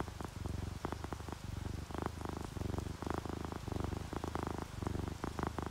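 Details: Relaxed domestic cats, a ginger tabby and a calico, purring while asleep; low rumbling pulses repeat in rhythmic bursts about every half second, with soft rain and dripping raindrops heard as though through a window.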